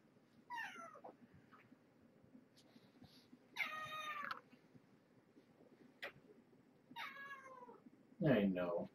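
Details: Domestic cat named Marge, a former pregnant stray, with her kittens at dinnertime in a small room; several drawn-out, harmonic meows falling in pitch, spaced a few seconds apart, mixed with a person talking and clattering noises.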